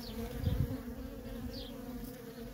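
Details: Worker honey bees at a feral colony hum steadily in a low, even drone. A short deep rumble or thump comes near the start, and a couple of faint high falling chirps sound behind.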